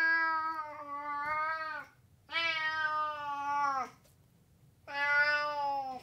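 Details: Domestic cat uttering three long, steady, strongly harmonic meows of about one and a half seconds each, separated by short pauses, in a quiet indoor setting.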